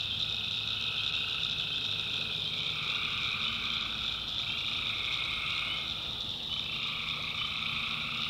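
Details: Swamp at night in the North Carolina backwoods, tree frogs massed in a steady high trilling wall while a lower-pitched trill rises and falls in strength across the recording.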